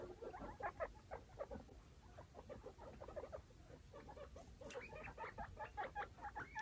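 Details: Baby foster guinea pigs and their mother Chalupa exploring a clean cage; rapid, uneven run of short high squeaks and chirps mixed with soft scuffling of small feet and bedding.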